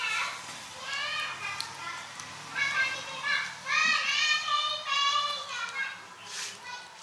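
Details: Kittens calling for food: many clear, high, wavering mews overlapping almost continuously, with short gaps between bursts and a faint background hiss.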